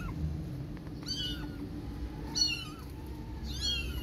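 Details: Protective mother cat carrying her one-month-old kittens in her mouth and taking them inside; three high, arching, harmonic mews spaced about a second apart over a low steady hum.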